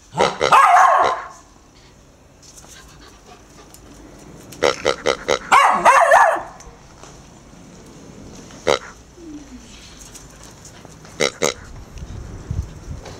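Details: Four-month-old female Irish Terrier puppy, frightened by a pink, snorting rubber toy pig, gives two loud bursts of barking near the start and again around six seconds. Sharp clicks and knocks fill the quieter stretches between.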